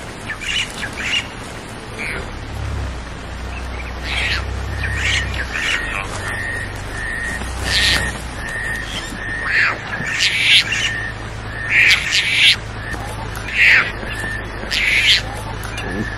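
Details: Leopard (Panthera pardus), contact call: cub calling out to its mother.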